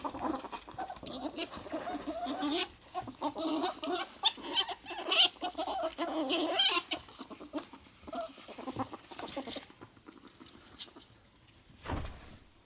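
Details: Two house ferrets, Ann and Kohaku, play-fighting after a bath; a long stretch of dense, fast clucking chatter mixed with scratchy scrabbling, then it tapers off, with a single thud near the end.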